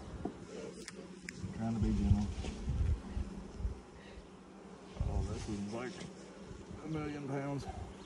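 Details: Honey bees at a hive during the first inspection in 2020, six days after nucs were installed; a steady low droning hum runs throughout beneath a person speaking softly while handling frames, with brief clicks and rustles.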